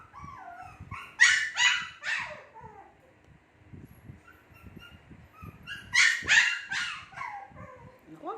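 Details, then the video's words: Shih Tzu puppies about two months old give two bursts of sharp, hoarse yips about five seconds apart, with soft whines between them and muffled background sounds. "SHITZHU PUPPIES MAKING NOISE"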